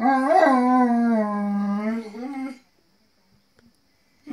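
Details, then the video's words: Dogs howl together with their companions: one long, steady, mournful tone that bends upward at the start and again near the end, lasting about two and a half seconds, followed by near silence and a faint noise. "Howling dogs- wir heulen mit unseren Kumpels"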